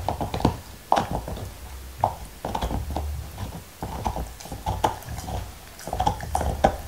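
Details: Black Labrador Retriever Nixon chomping his favourite beef bone in 2019: clusters of crackly bites and slurping licks are carried over heavy low thuds and grinding.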